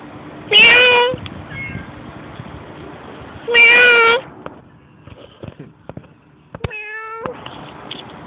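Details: Stray cat being talked to by a person: two loud, clear harmonic meows about three seconds apart, then a shorter, higher meow, with faint clicks and background noise between.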